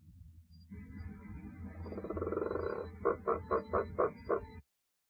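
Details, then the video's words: Two captive male giant waxy monkey frogs (Phyllomedusa bicolor) making laugh-like noises: a low grating, rattling croak rising in strength, then a quick run of six clucking pulses before sudden silence. "Calls n Croaks of the Giant Waxy Monkey Frog Phyllomedusa Bicolor"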